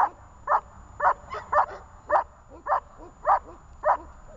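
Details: A dog named Zhelya in guard training barks sharply and steadily, about twice a second, each bark short and forceful, nine in a row with brief gaps and a faint whimper between some barks.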